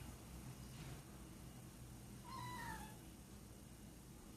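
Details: Pet cats in a windowed laundry room on a morning, watching birds outside and chattering: one short, clear, tonal chirp that slides downward and lasts under a second, over a steady low indoor hum.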